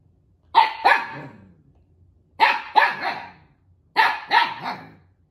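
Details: Siberian Husky puppy barking in play over a stolen toy at home with another husky puppy; three paired double barks, bright and harmonic, spaced about one and a half seconds apart, quiet background.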